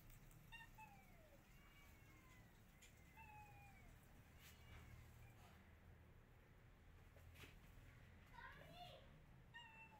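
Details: Pregnant cat hiding indoors after being attacked by a feral street cat gives a few drawn-out meows, each sliding downward, spaced several seconds apart over a low steady background hum.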